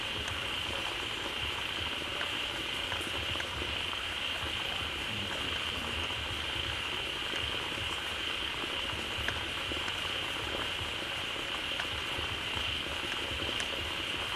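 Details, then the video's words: Large group of frogs quickly gathered in a pond, newly filled by waterfall water, calling loudly: dense seething chorus of overlapping croaks and clicks with a steady high buzzing band, continuous throughout, like boiling water. "เสียงฝูงกบร้องดีใจได้น้ำ Relaxing Sounds of Frogs"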